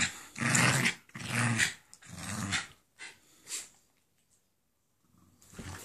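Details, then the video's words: Jack Russell Terrier savaging a Doberman over its bed indoors; three loud harsh snarling growl bursts about a second each, then quieter scuffling sounds and a fainter growl at the end. "Doberman savaged by manic Jack Russell"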